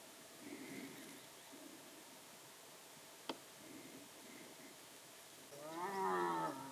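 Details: A young striped hyena out roaming after sunset at dusk calls, perhaps to its mother. Faint moaning calls sound early on. Near the end comes one loud, wavering, harmonic wail lasting about a second. The background is quiet, with a single sharp click midway.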